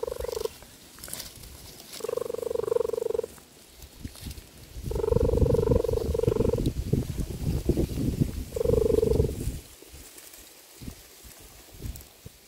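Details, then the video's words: A cheetah mother calling her cubs to come outside and play. Four steady, tonal calls last about a second each, two of them longer, over a low rumbling background. "calls her cubs outside"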